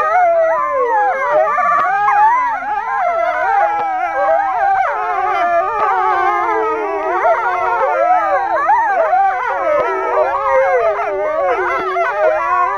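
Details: Pack of four male wolves howling at Kolmården Zoo, Sweden, January 2007; intertwined mid-pitched voices swoop and waver without break, some notes sliding upward, others dropping, forming a sustained group chorus.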